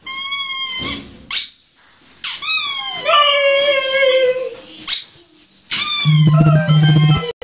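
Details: A female Siberian Husky whines in high, wavering cries at the shrill, steady squeaks of her toy ball, seemingly treating it as alive and distressed.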